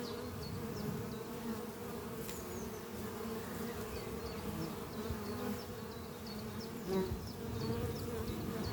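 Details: Spring morning at a beehive under trees where honey bees fly in and out carrying pollen; an even, low droning buzz dominates while a bird repeats short high chirps about twice a second.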